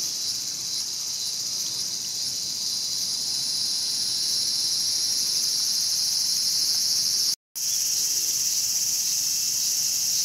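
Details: Cicada being preyed on by a mantis at Showa Kinen Park, Tokyo, in 2020. Steady high, hissing buzz with faint rapid pulsing runs throughout, broken by one brief total dropout near the end.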